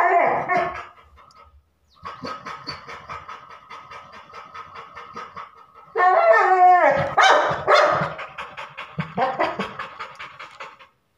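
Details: Labrador Retriever barking indoors: a brief loud bark, a pause, then several seconds of soft, rapid pulsed whining, then a burst of loud yelping barks with rising and falling tones, fading into quieter pulsed sounds.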